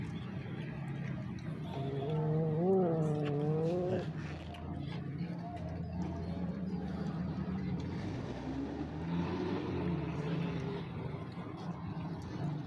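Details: Street cat that wants to be pampered, meowing outdoors: one drawn-out, wavering meow around the third second, then a fainter, softer one later, over a steady rumble of passing traffic.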